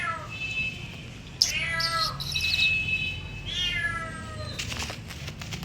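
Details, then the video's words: Domestic cat meowing indoors: two short falling meows with bright harmonics, mixed with a human voice and some broadband rustling near the end. "cat meowing"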